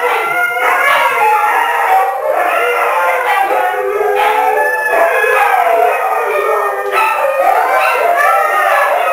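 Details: Siberian Huskies, two adults, three foster pups and a visiting Husky, gated in a living room during dinner, howl together in long, wavering, sliding tones that rise and fall without a break.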